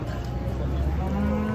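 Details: Agitated cattle, described as raging and caught while unloaded from a truck; a short low moo rises late in the clip over steady low rumble, with background music and faint voices.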